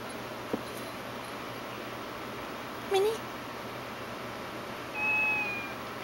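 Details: Minnie, one of a household family of cats, gives a short, rising meow midway through, followed by a thin, steady high tone, over a quiet indoor room hum.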